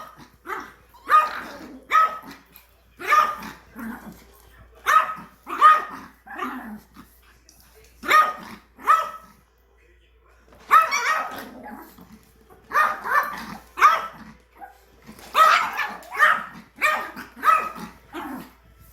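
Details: Yorkshire Terrier, angry at a new vacuum cleaner, barks sharply and repeatedly in clusters of two or three yaps, with brief pauses between clusters.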